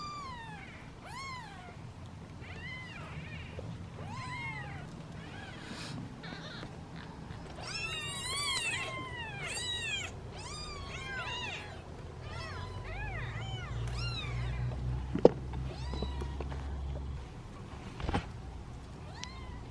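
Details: Seven hungry kittens in a basket wait impatiently for feeding, several calling at once in a dense overlapping chorus of short, high, arched meows, some rising and falling, over a low background rumble.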